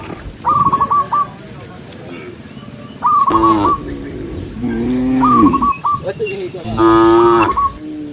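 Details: Tame cows herded through rain on a green forest road give spaced moos, some short and nasal and others long and resonant, each one preceded by a brief, high, squeaky chirping run.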